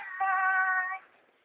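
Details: A talking cat utters one sustained, even-pitched meow of nearly a second, clear and harmonic, fading into quiet afterward.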